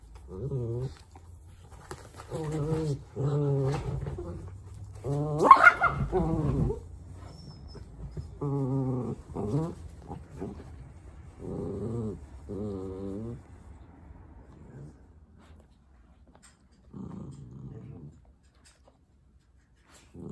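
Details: Playful indoor meeting of a husky and a mini dachshund, the husky wanting to play; repeated short growly, moaning vocal bursts about a second long, clustered early then spacing out, with one loud sharp burst near the middle.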